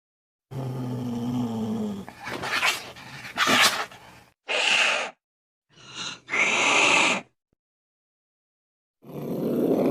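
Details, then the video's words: Cat noises for chasing mice: a low growl leading into sharp explosive hisses and spits, two short harsh yowls, then a final rasping hiss. "Tiếng mèo kêu đuổi chuột hiệu quả 100%"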